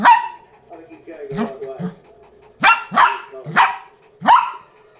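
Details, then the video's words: A Lhasa Apso puppy, reacting to a new toy, gives sharp, high barks in a quick, uneven run of four or five. "Lhasa apso barking on a new toy"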